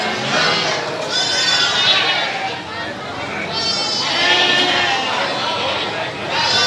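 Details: Several goats bleat at Citeko livestock market in Plered, Purwakarta, Indonesia: tremulous, nasal cries come in bursts every two seconds or so over steady crowd chatter and voices.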